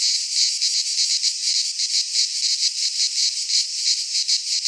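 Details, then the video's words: Cicada song from a Greek pine forest in midsummer: a bright, intense electric-sounding hiss with softer, uneven waves of loudness, continuous across the whole stretch. "Cicadas singing in midsummer - Nature sounds from the Greek fauna - Sounds of cicadas"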